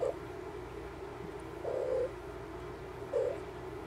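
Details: Mother cat checking on her kittens, heard as three brief, gentle low mews spaced about one and a half seconds apart, with a continuous soft droning background.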